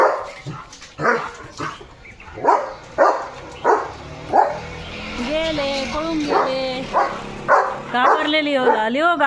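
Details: German Shepherd guard dog at a village house in India, reacting to other dogs passing in front of the house; sharp barks roughly every half second, rising whining yelps later, with a woman speaking Marathi over the dog.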